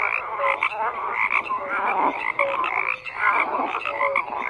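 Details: Frog chorus of overlapping croaks, bursts of clustered calls alternating with brief lulls, short tonal notes repeated among the rasping din.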